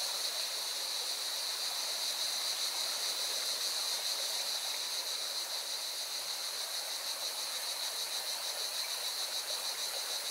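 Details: Continuous high cicada buzzing, pulsed and unwavering, carries over the strong roar of a mountain river near Valencia, Spain.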